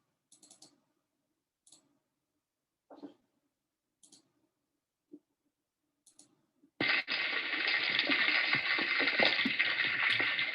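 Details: Snapping shrimp and small crustaceans swarming over the seabed, heard by a hydrophone lowered near gray whales: scattered sharp clicks, then a dense, continuous crackle like frying fat.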